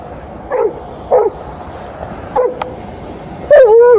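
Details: Liza, an Alaskan Malamute in heat and angry at TJ, a male Golden Retriever, vocalising at the end of a morning walk: four short yelping barks spaced about a second apart, the last drawn into a longer wavering whine, over low background rumble.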